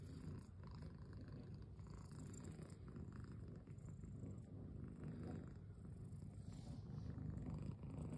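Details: Pet cat with a low, even purr that throbs continuously and grows slightly louder toward the end, with no other clear sounds.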